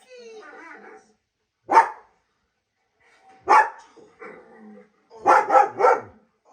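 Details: A German Shepherd reacts to other dogs' sounds with single sharp barks spaced about two seconds apart, then a fast run of three barks. Soft whiny tonal sounds fall in the gaps between them.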